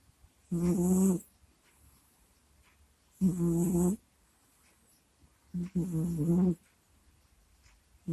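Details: ['Sleeping house cat Kusya snores into a microphone. Three droning, groaning breaths come roughly every two and a half seconds, each low-pitched with an airy rasp. Only quiet room noise fills the gaps.']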